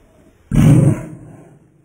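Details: Pet dog in slow motion giving one deep, drawn-out bark lasting about half a second, dropping into a rumbling low tail, with a quiet room behind it.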